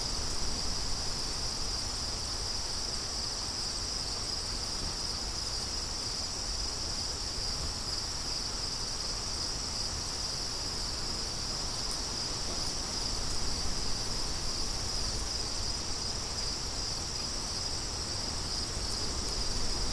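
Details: Crickets chirping in a steady, unbroken high-pitched trill that runs through the whole stretch, with a constant low rush of wind underneath, offered as soothing background sound for studying.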